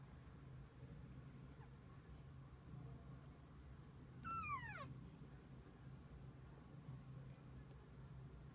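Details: Mother cat and kittens together for the day. One clear meow slides steeply downward midway through a quiet stretch with a low steady hum.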